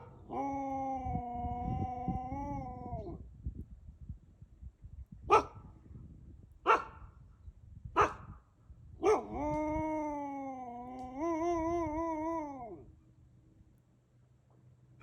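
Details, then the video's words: A captive wolf, from a group including some hybrids, gives long, steady howls with a slight waver, broken by a few sharp clicks. "Wolf Howling"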